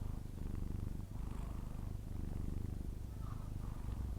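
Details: Sleeping Persian cat snoring, a fast, low, pulsing rattle repeating about three times a second, continuous and close, with no other clear sounds.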